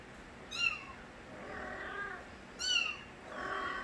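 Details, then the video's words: Young stray kittens, offspring of a cat called Nabi, give two short, thin meows about two seconds apart, set against soft, muffled background rustling. "새끼고양이들의 우렁찬 울음소리"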